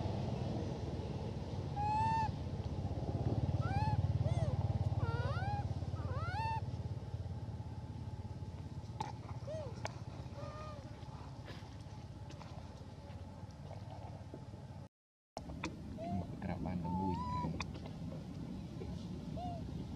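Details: Elpida, a female hybrid monkey, calls while requesting food. Her thin, squeaky, rising-and-falling whistled calls come in quick clusters, then separate single notes, over a low engine rumble with a brief break near the end.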